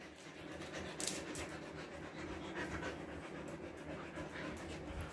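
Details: Body-trimmed Siberian Husky named Bittu coping with Kolkata summer heat in India: fast, even panting, a dense run of airy breaths at roughly four per second over a constant background hum.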